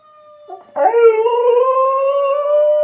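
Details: Pet dog howling along with a tornado siren test: after a steady siren tone, a loud, sustained, slightly rising howl begins with strong harmonics and continues to the end.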